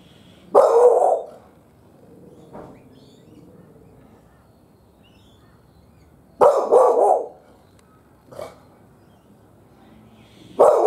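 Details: Dog barking at birds perched on a fence, loud rough barks arriving singly or in pairs every few seconds, with a softer short bark between them and quiet background.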